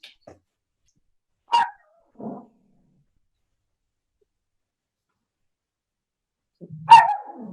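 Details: A dog barking in the background during an online workshop call. Two short, sharp barks about five seconds apart, the second followed by a brief lower trailing sound. Otherwise near silence, with faint clicks.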